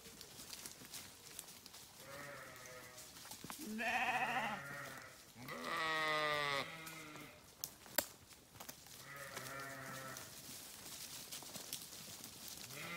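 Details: Sheep bleating in several separate, long, wavering harmonic calls spread across the recording, with one louder, strained bleat near the middle and brief clicks between calls.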